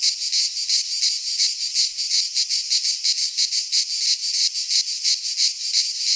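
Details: Midsummer cicada chorus in Greek pine woods, a harsh high buzz broken into steady pulses roughly three per second, rhythmic and unbroken, nothing else audible.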